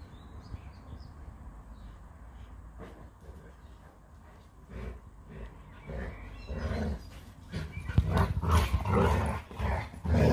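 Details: Leonberger play fighting with a Labrador, Montana and Lola, in a long nonstop bout: quiet low rumbling at first, then bursts of rough, gruff growling and scuffling noises building over the last four seconds.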